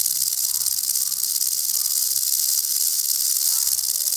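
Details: Threatened venomous rattlesnake sounding its rattle as a warning; constant high, sizzling buzz with a slight pulsing flutter in loudness throughout, no other animals or voices.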